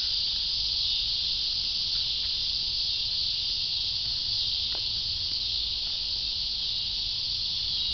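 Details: Cicadas in a continuous, dense, high-pitched buzzing drone that holds steady throughout with no breaks, a few faint clicks beneath.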